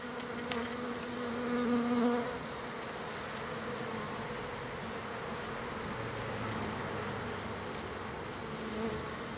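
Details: Many wild bees at a feeding spot on day three of feeding. Their continuous hum swells louder around the second and third seconds, with clearer low buzzing tones, then settles into an even drone with a brief click early on.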